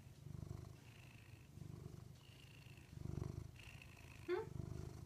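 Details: Rudy, a pet cat, purring steadily in low, rumbling pulses that swell and fade about once a second, with a brief high chirp near the end.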